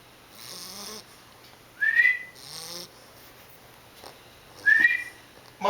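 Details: An 11-week-old English Bulldog pup asleep and snoring; soft breathy snore bursts around a second long, each ending in a rising whistle-like squeak, with a person quietly calling the pup's name.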